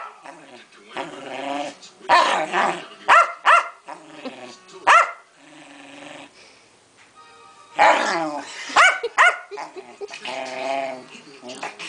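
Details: Keeshond Pancake in the middle of a superfit, giving bursts of strained, harmonic growling whines and sharp yips in two main bouts separated by a quieter stretch, with voices and some music in the background.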